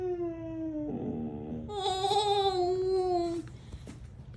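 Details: Siberian husky howling indoors, upset when his owner says he is going to bed. A drawn-out whining howl falls in pitch, then rises into a higher, sustained, wavering cry that stops abruptly near 3.4 seconds. Quieter noises follow.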